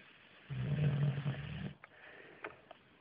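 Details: Bruno, an English Bulldog, snoring: one loud, deep, rumbling snore lasting about a second, followed by faint wheezy breaths.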